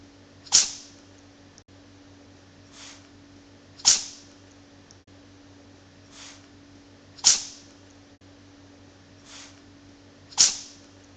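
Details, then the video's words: A repeating loop of a cat named Bok sneezing: four strong, airy bursts about three seconds apart, with a quieter puff after each and a low background hum. "Cute cat sneezing loop"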